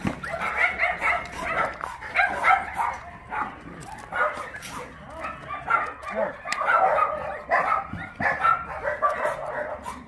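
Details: Abandoned dogs at Mindeulle Shelter, an abandoned-dog shelter in Yangsan, South Korea, during play time; many dogs bark and yip in a dense, overlapping chorus for the whole stretch, with human voices mixed in.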